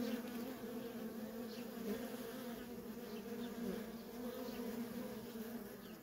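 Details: Worker honey bees at a wild feral colony keep up a nonstop even hum, two strong humming bands holding steady for six seconds, with occasional soft passing buzzes above.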